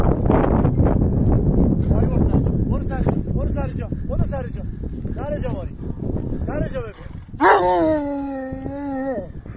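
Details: Sarabi dog from Iran, a large ancient breed, calling after seeing a female dog it wants to play with: a run of short arched whines, then a long, steady, nasal whine; human voices and rumbling outdoor noise throughout.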